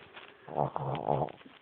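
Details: A female Boston Terrier puppy snores while sleeping under the covers, two low, rattling, buzzy breaths about half a second apart.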